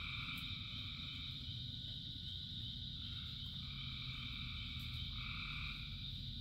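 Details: Frogs calling in rain, part of a chorus of thousands: a steady high shrill drone, with drawn-out two-toned calls of about a second rising and falling four times, over the low, constant rumble of rainfall.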